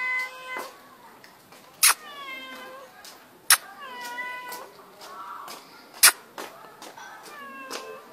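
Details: Young pet cat named Mano, a baby cat, talking indoors: a run of tonal, harmonic meows, some rising then falling, several drawn out, at irregular intervals, broken by sharp clicking knocks and a person repeating the cat's name.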